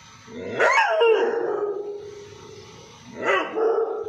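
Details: Pet dog gives two loud, rough barks about three seconds apart, each ending in a drawn-out, falling tone, in an otherwise quiet room.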